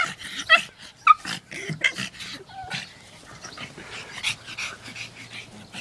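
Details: Pugs in play letting out sharp yips and squeaky whimpers between huffing snorts, louder at first, then fading to softer snuffles.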